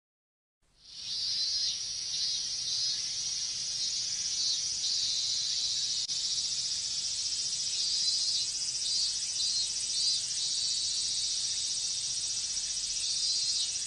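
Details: Minmin cicadas in a Japanese summer heat chorus: after a silent first second, a dense, steady, high-pitched hiss-like drone sets in and holds unbroken, with shimmering texture and no other sounds.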